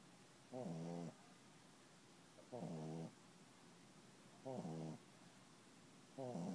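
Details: Sleeping puppy snoring indoors: four rattling, buzzy snores, each about half a second long, repeating roughly every two seconds with quiet breathing gaps between.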